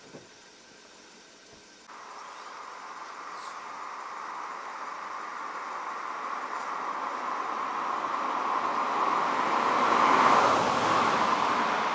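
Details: A steady engine rumble swells as a vehicle approaches, with no animal calls audible.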